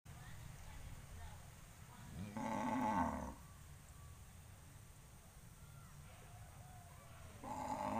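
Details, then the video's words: Farm cattle gathered on a road before heading out to pasture: one drawn-out, harmonic moo of about a second, a second moo starting at the very end, over a steady low rumbling background. "suara sapi moo kumpul di jalan"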